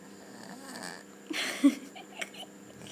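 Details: Domestic cat snoring while sleeping indoors: a soft, low harmonic drone with a breathy, noisy swell near the middle and a couple of short louder snorts.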